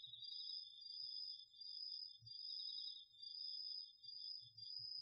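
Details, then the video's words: Autumn night chorus of crickets and other insects in a home garden vegetable plot, recorded with a DR-40X: two steady high trills overlap, one slightly higher, each pulsing in long bursts with brief dips about once a second. "秋の虫の声 ASMRでおやすみなさい 〜虫の音を枕元で聞いてね〜 こおろぎ他"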